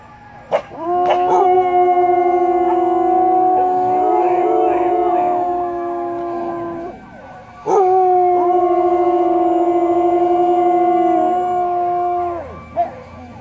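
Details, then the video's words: Samoyeds singing in harmony: two long, steady, tonal howls at different pitches held together for about six and four seconds, separated by a short pause, with a few brief yips at the start. "Singing Samoyeds howl in harmony"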